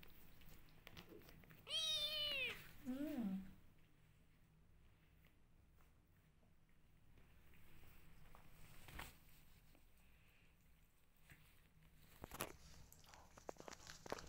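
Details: Rescue kitten indoors: one loud high rising-then-falling meow, followed by a shorter lower squeaky call, then long quiet room noise with a few clicks and knocks.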